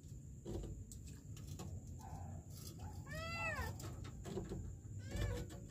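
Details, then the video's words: A kitten trapped in a sewer in Kenya, December 2023; one arched, wavering meow in the middle and a fainter one near the end, over heavy low rumbling background noise and a steady high hum. "KITTEN trapped in the sewer"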